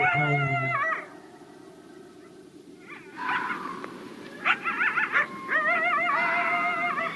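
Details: A red fox (Vulpes vulpes) screams in harsh, wavering, harmonic cries repeated in short bursts over a low hum; the scream is sometimes wrongly attributed to the fisher. Red fox.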